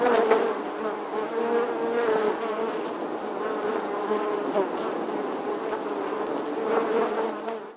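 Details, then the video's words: Steady buzzing from a colony of honey bees living inside the old stone wall of an ancient English church in summer 2020; overlapping drones of many bees form a thick hum, with occasional nearer fly-bys rising slightly louder. "Bee Hive, Bees Captivating Footage from an Old English Church Wall. Bee Sounds"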